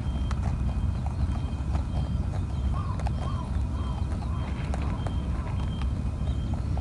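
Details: A plump wild rabbit (a European rabbit, not a Japanese hare) on Ōkunoshima island, Hiroshima, Japan, crunches fed pellets with quick, dry, irregular clicks over a low rumble; another rabbit later joins.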